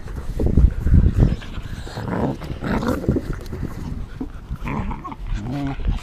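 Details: Teething American Tundra Shepherd puppies, 9 1/2 weeks old, three black and tan littermates. Deep, rough growling grows louder in the first seconds, then brief higher whimpers come toward the end over scuffling.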